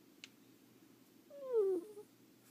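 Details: Leo, a pet ferret, snoring while asleep indoors: a single nasal, whistle-like note sliding downward, with a faint click just before, over a quiet room hum.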